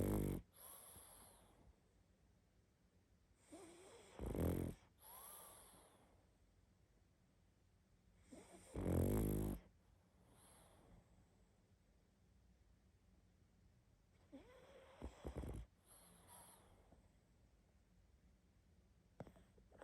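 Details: Sleeping pug snoring heavily: low, rough snorts and breathy rumbles in bursts roughly every four to five seconds, with quiet breathing between them in a calm indoor room.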